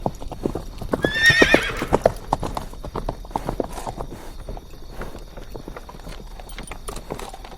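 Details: Trotting horse, its hooves clip-clopping steadily, with a brief high whinny near the start and hoofbeats carrying on afterward.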